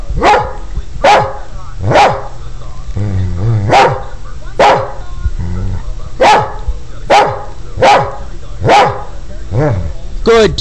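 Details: Border Collie taught to count to ten with barks, answering a request for ten with a run of nine sharp barks about 0.8 seconds apart, broken by a man's short words of encouragement.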